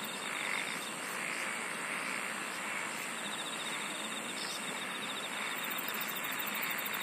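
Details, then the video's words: Insects singing in a nature soundscape, a dense unbroken high-pitched hiss with a faint pulsed buzzing trill coming and going, and a very high rapid chirping trill starting near the end. "SINGING OF INSECTS"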